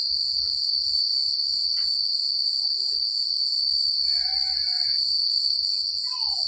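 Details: Night chorus of crickets in quiet rural countryside, a continuous shrill high-pitched trill holding level the whole time, with brief faint chirping notes drifting in below and a low rumble of wind.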